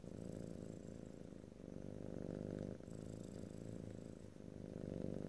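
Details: Domestic cat purring steadily indoors, a low rumbling drone in cycles of inhale and exhale about every 1.3 seconds, recorded in stereo, no talking, faint high hiss above.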